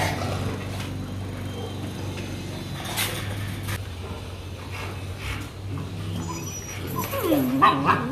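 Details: Rottweiler puppies at a dog breeding kennel in Hà Nội, Vietnam: a short, high, wavering whimper near the end, rising and falling, over a steady low hum and faint background murmur.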